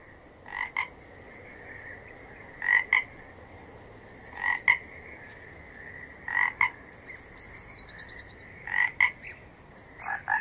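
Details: Short paired croaks from a frog, repeated roughly every two seconds over quiet background hiss, with faint high whistled chirps between calls.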